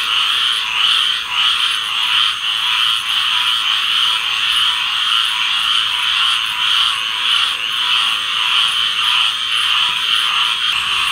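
Many tree frogs calling together in a dense, high, trilling chorus that never lets up.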